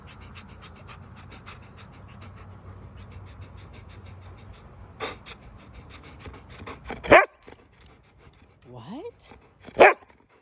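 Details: Monroe, a Siberian Husky, sitting outside on a chair on a deck, pants in quick, steady, breathy puffs for several seconds; then a woman speaks affectionately and there are a few sharp handling noises.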